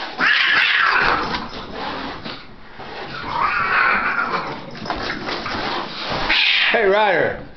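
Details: Indoor fight between house cats Rider and Meister, one a week-long visitor: loud, harsh yowls swell and fade, ending in a wavering howl, while a person's voice repeatedly tells the cat to stop.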